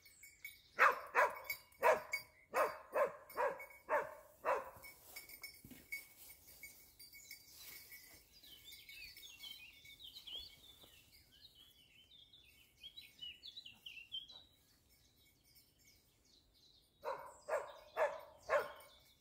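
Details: Dachsbracke in hunting training on wild boar, giving a rapid series of about eight loud barks, then a long lull filled with chirping birdsong, before a final burst of five barks.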